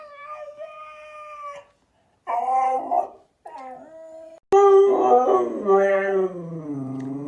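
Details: Siberian Husky howling and 'talking' in a series of bursts: a steady tone, a wobbly yodelling phrase, a short dipping note, then a louder, wavering howl that slowly falls in pitch.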